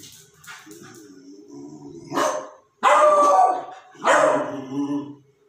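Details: Beagle puppy barking: a few short bursts, the loudest pair about a second apart near the end, with a softer murmur before them.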